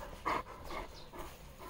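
A Greek Shepherd dog gives a short, loud bark followed by softer huffing sounds.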